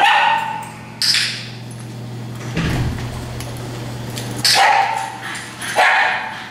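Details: Dogs in a daycare group at Tails-A-Wagging, where nuisance, alert and demand barking occur; a few scattered sharp barks and a higher squeal-like burst stand out over a steady low electrical hum running through the room.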